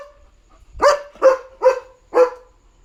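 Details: Leo, a German Shepherd, barking at night to tell that a dog is outside: four sharp, evenly spaced barks in under two seconds.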